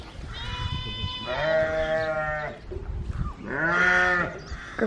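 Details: Domestic goat giving two wavering, nasal bleats about a second apart, the second rising and then falling away, with a person talking in between.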